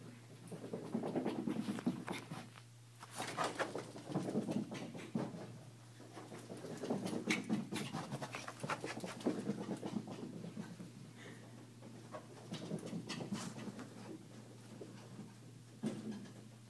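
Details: Mocha, a Yorkshire terrier full of energy after her daily walk, runs in an indoor hallway. Quick, rhythmic panting continues throughout, mixed with pattering footsteps and a low steady hum.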